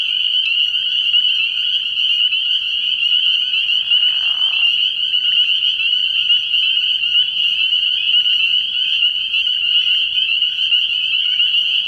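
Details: Dense night chorus of spring peepers at a frog pond early in the year, countless high whistled peeps merging into a steady shrill band, with other frog trills underneath and a brief lower rustle midway.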